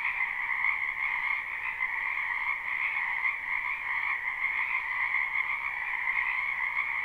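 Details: Wetland frogs in spring, recorded live with no looping: an unbroken, massed croaking chorus, shimmering and trilled, holding two steady pitch bands throughout, nothing else audible.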